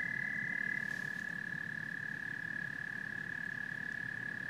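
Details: Frogs and toads in full chorus: one unbroken, high, pulsing trill runs throughout, backed by a soft low rumble.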